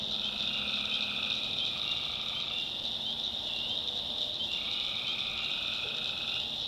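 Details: Tree frogs calling at night in a swamp in the North Carolina backwoods: a dense, steady high-pitched trilling chorus, with lower overlapping calls that each last one to two seconds and then break off.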